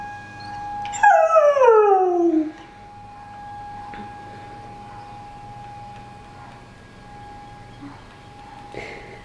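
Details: Domestic dog howling in reply to the weekly tornado siren test; one loud howl falling smoothly from high to low over about a second and a half, then quiet with only the steady siren tone and faint rustling.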